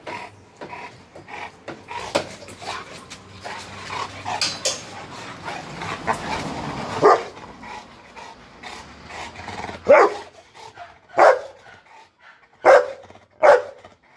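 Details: Bullmastiff dog barking, several loud separate barks in the second half, spaced about a second apart, after a stretch of softer whimpering, scuffling and a human voice.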